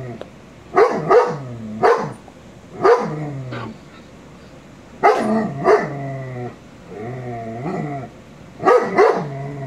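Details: A 22-month-old male shepherd dog barks at a Rottweiler on television: clustered yelping barks in groups of two or three, with whining, wavering tails between bursts, in a quiet room.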